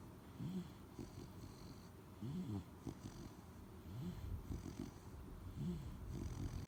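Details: Three-month-old Labrador Retriever puppy, Al, weighing 11.7 kg, napping indoors; soft, rasping, purr-like snoring breaths that swell and fade roughly every one and a half to two seconds over a faint steady hiss.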